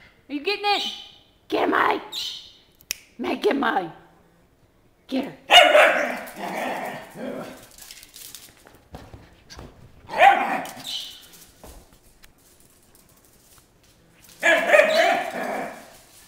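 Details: Dog running around a house, vocal while playing: irregular bursts of yips, whines and rough barks spaced several seconds apart, with short pauses between, indoors.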